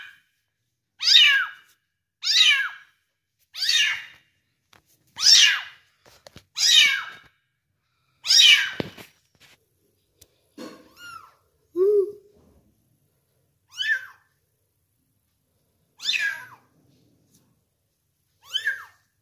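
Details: One-month-old kitten being fed, giving high, arching meows repeated about every one to two seconds, loud and clear, with a short pause midway before further spaced calls.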